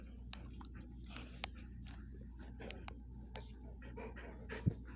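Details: Dogs Watson, a Bull Mastiff, and Penny, a Vizsla, greeting a visiting friend with affection: quick breathy panting and snuffling bursts, a few sharp clicks and a brief low thump over a steady low hum.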